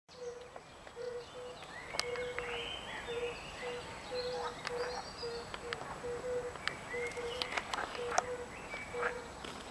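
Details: European fire-bellied toads (Bombina bombina) in Lilli Wenedy park in Kraków give soft, mellow 'oop' notes, repeated about twice a second.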